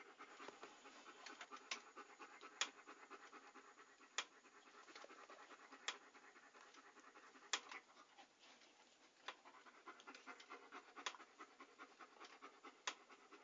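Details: Panting dog, a steady, rapid, breathy rasp running throughout, with sharp clicks breaking in now and then.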